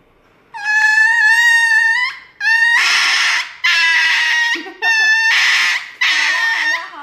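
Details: Dog crying out while getting an injection: a sustained high, harmonic wail of about a second and a half, followed by four shorter, harsher cries with noisy edges, evenly spaced, each cut off abruptly, no other sounds.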